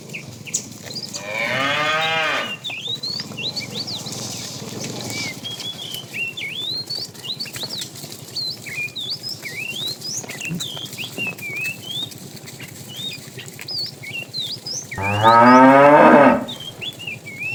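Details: A fat tame cow in a herd being driven in the afternoon, calling the female: two loud drawn-out moos, one near the start and one near the end, with busy chirping birds throughout.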